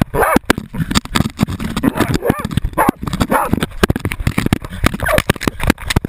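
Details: GoPro-recorded Jagdterrier named Otto holding a 250 lb boar at bay, with short, rough barks in quick irregular bursts over heavy scuffling, impacts and brush noise.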